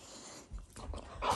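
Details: Shiba Inu, a family pet, growling indoors as a show of affection rather than anger: a short, rough, breathy low rumble that swells louder in its final moments, with no voices over it.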